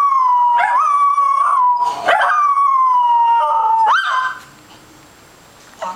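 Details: Scottish Terrier named Zoey joins another dog barking at TV animals with an odd howl-like bark: a sustained, steady mid-pitched howl broken by brief rising yelps, then quiet.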